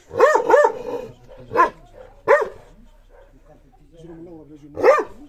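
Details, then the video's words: A dog facing a mirror gives sharp, separate barks, two close together, then single barks spaced about a second or more apart, while a person talks quietly in the pauses. "the dog vs mirror الكلب و المرآة"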